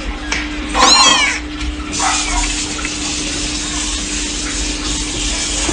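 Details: A little kitten gives one short, high, wavering meow, then a fainter second cry is swamped by a steady rushing hiss like running water, with a low hum throughout.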